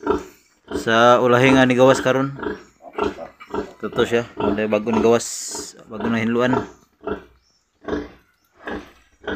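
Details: Pigs at the birth of ten piglets from a sow on a small pig-raising farm: drawn-out harmonic squeals alternate with short grunts in uneven bursts, with a person speaking at times.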